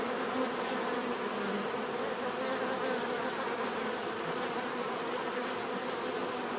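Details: Bees buzzing steadily in nature, a rich continuous hum with shifting overlapping pitches as insects move about, over a faint pulsing high whine.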